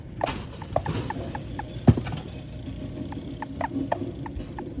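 A toad gives short, bright chirping notes at irregular intervals over a low rumbling background.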